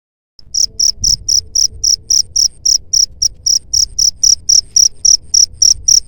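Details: Cricket chirping, played as a sound to drive away rats: steady high-pitched pulsed chirps repeated about four times per second, with faint low rumble beneath.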